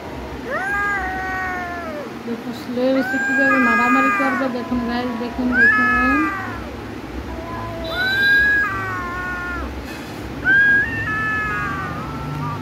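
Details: Cats squaring up to fight, trading loud wailing yowls with rich stacked harmonics, about five drawn-out calls that bend up and sag, a lower growling undertone between them, and a faint human voice in the background.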